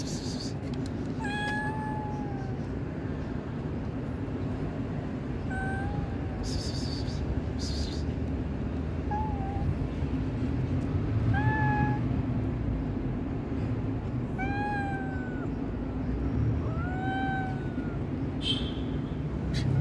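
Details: Stray cat near a kitten attacked by a tabby cat gives about eight short meows, some falling and some rising, spaced one to three seconds apart, over constant low traffic-like rumble with occasional rustling.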